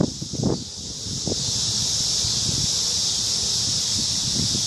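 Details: High, unbroken shimmer of crickets singing in a large cottonwood tree on an evening in the park, opening with a few low rustling knocks before the steady chorus carries on alone.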